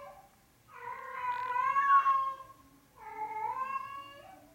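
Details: A five-day-old male Norwegian Forest Cat kitten, brown (black) classic tabby and white, born 8 March 2020, gives two drawn-out, wavering meows with a gap between them.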